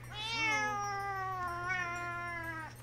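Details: Pet cat meowing indoors while its owner runs a live game broadcast: one long, drawn-out, wavering meow that rises slightly, then sags and trails off over nearly three seconds, with a steady low hum behind it.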